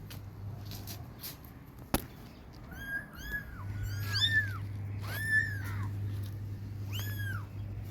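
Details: Baby cats calling their mother for milk: after a sharp click, a run of high, bending mews comes close together in the second half, some overlapping, over a constant low hum.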